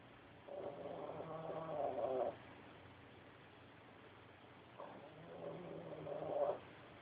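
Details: Snoring from Shadow, a pet dog: two long, gravelly snores roughly four seconds apart, each building in loudness to a pig-like snort at its end, with steady low background hum between breaths.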